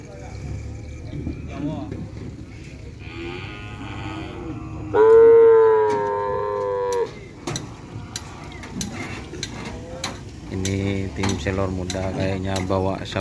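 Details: Cattle taken onto the field for the first time and put straight into group training gives a single strong, drawn-out moo of about two seconds mid-way, flat then trailing off, amid clatter, with people talking and shouting afterwards.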